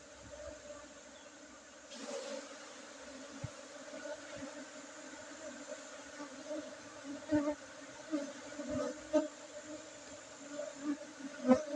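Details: Honey bees buzz as honey is harvested on 5 June 2023 at an apiary among Gayo Arabica coffee in Tingkem Bersatu, Aceh, Indonesia. The low hum is steady, with scattered clicks and knocks that grow more frequent toward the end.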